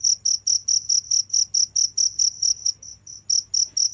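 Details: High, clear cricket chirps repeated about twice a second, pausing briefly near the middle before resuming, over a faint low background hum.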